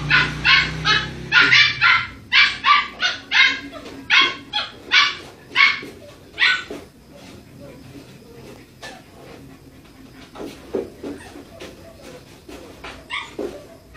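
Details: Pet Aspin play fighting with a Siberian husky: quick sharp barks fire in a steady string for about six seconds, then fade to sparse, quieter yelps and scuffling, with a person's voice in the background.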